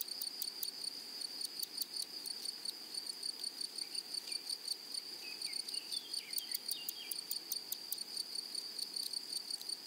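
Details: Grasshoppers of a flowery prairie produce high, dry ticking pulses in irregular bursts over a steady hiss, with soft falling bird whistles midway through.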